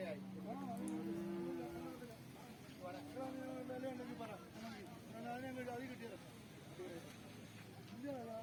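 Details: Water buffalo calves on market day at a livestock market, giving low, drawn-out moos lasting one to two seconds, several in succession, over steady chatter of people talking and passing vehicle noise.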